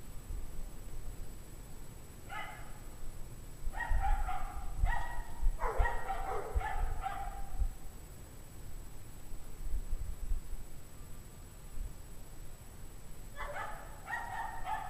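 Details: Distant pack of dogs on a 17-degree Fahrenheit January evening, 2009, 5:00 PM, barking in scattered volleys: a lone bark, then rapid overlapping barks for several seconds, a long pause, and another burst at the end.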